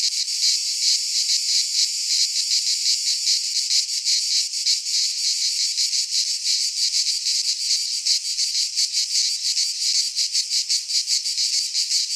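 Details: In a Greek pine forest during midsummer, many cicadas sing together, a shrill unbroken buzz with looser, less even pulsing, filling the whole stretch without pause.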